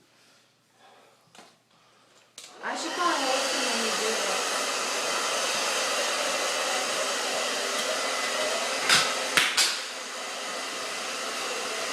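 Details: A few soft knocks, then a steady loud hair dryer roar with brief clicks and no animal sound.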